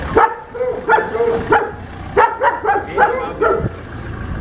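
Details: German Shepherd in training, described as unmanageable, letting out a rapid string of harmonic barks, several per second, some clipped and yelping, over steady background hum.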